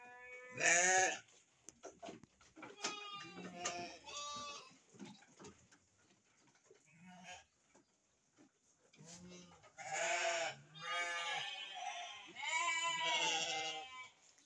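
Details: Sheep kept with their young at a breeding farm: scattered short bleats early on, then a quieter stretch of rustling and shuffling, followed by a run of loud, vibrato bleats from several animals close together.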